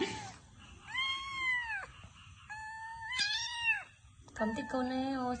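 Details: A cat meows indoors in long drawn-out calls that arch up then fall, three or four in a row, with a shorter clipped meow at the end; a woman's voice speaks over the background.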